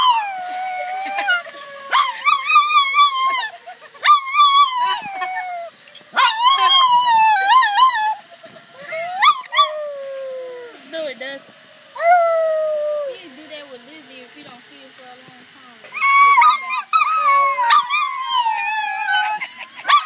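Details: Dog reacting to alarm sounds with long howls that slide downward in pitch, delivered in repeated bursts separated by short pauses, with some higher yelping notes near the end.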